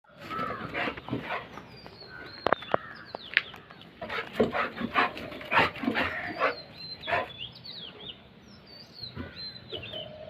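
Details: A Golden Retriever puppy fighting with crows gives short, harsh barks in uneven bursts, some close together, while the crows' higher, thin calls carry over and between the barking.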